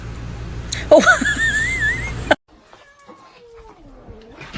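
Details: Domestic cat giving a drawn-out meow whose pitch wavers up and down for about a second over background noise. An abrupt cut follows, leaving faint, low sounds.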